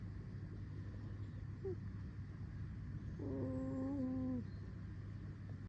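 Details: Fox called Alice, amid a low steady hum, first makes a tiny faint squeak, then a sustained creaky whine of about one second, level in pitch and dipping slightly at the end.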